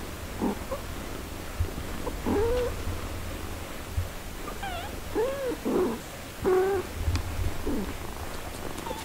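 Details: Mother cat caring for her four-day-old kittens: a scatter of short, soft, rising-and-falling mews every second or two, some thin and high, over steady low rumbling background noise.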